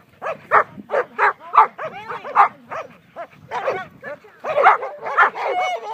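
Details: German Shepherd in protection work training, delivering loud rough barks in a fast series of about two per second, with whining inflections between some barks.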